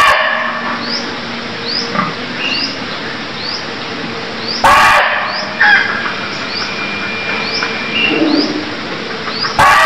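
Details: Deer calling in Cambodia: two short, harsh, loud bursts about five seconds apart stand out over a steady bed of repeated rising high chirps and a busy natural background.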